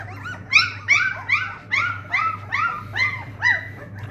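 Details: Several Dogue de Bordeaux puppies cry in a rapid series of high, arching whines and yelps, each rising then falling, about two or three per second, with a low mechanical hum beneath.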